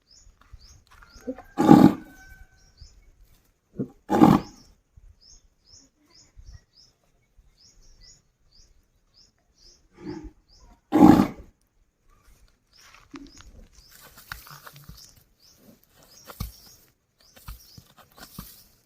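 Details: Village desi bull calling a friend to come home: three loud, short, rough bellows near 2, 4 and 11 seconds, softer grunts between them, and small birds chirping steadily in the background.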